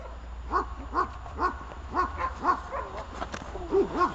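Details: Glemmy, a dog practising the bark-at exercise of protection training, barks in an even series of short, punchy barks about twice a second over low background hum.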